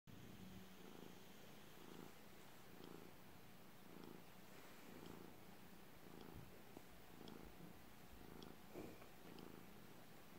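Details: House cat resting calmly and purring, a deep even rumble swelling and easing roughly every second in a quiet indoor setting, with a few faint ticks overhead.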